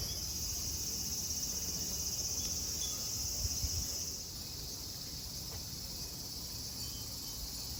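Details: Cicadas singing at Kozoji Temple (Takakura Kannon) in Yana, Kisarazu, Chiba prefecture, Japan: a steady, dense high-pitched hiss of many insects, slightly quieter after the midpoint, over low rumbling background noise.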